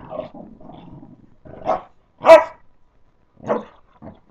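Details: Pups at play: a low rumbling growl at first, then four short barking yelps spaced unevenly, the loudest near the middle.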